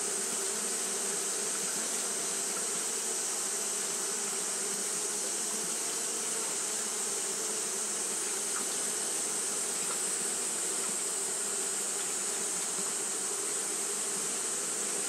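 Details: Japanese honey bees fanning on a hot day produce a long, even, unvarying buzz, a low hum under a continuous high hiss that holds steady throughout.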